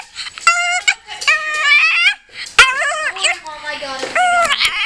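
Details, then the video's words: Female Pekingese named China, described as emotional, crying in a series of high, drawn-out harmonic whines, some held steady and others wavering, broken by short pauses and sharp clicks, with human voices mixed in. "Dog's Insane Crying"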